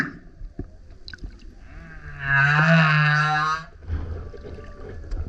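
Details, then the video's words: Loud singing male humpback coming up next to a kayak: after soft clicks and water gurgles, one sustained buzzy moan with stacked harmonics lasts about a second and a half, then fades into sloshing water. "Singing Whale is LOUD - BURPS, GRUNTS, HOWLS + ROARS! Listen as he comes up singing next to kayak"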